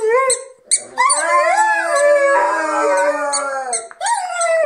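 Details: Rhodesian Ridgebacks singing together: several overlapping howls, one voice sliding up and down while a lower tone holds steady, with short high squeaking pulses breaking in now and then.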